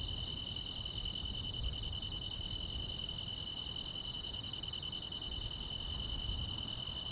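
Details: Grass insects fill a summer night with a sustained high double-pitched trill and rhythmic sharp chirps repeating steadily, over faint low background hum.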